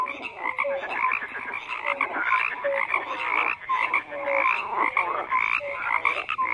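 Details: A crowded frog chorus of rasping croaks, punctuated by short whistled notes recurring about once a second, with calls from many animals overlapping.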